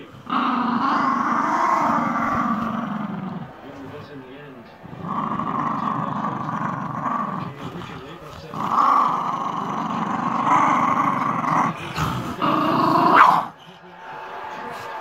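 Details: Jack Russell Terrier being funny, giving long rumbling growls in three extended bouts of several seconds each, with short quieter gaps between them and people talking over the top.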